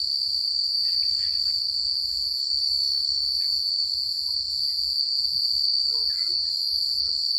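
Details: Crickets calling at night far from the city, a dense, steady, high-pitched ringing that never pauses, over a low murmur and a few faint scattered notes.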